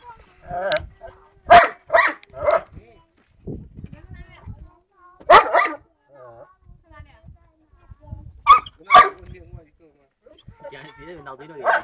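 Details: Tibetan Mastiff giving loud, abrupt barks in short bursts: a cluster of four, a lone bark after a pause, then a final pair, with people talking in Chinese in between and underneath.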